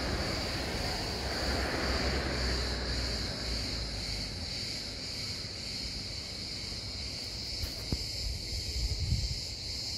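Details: Continuous shrill cicada drone, flat and unwavering for the whole stretch, heard through gusty wind noise on the microphone and a low rumbling background.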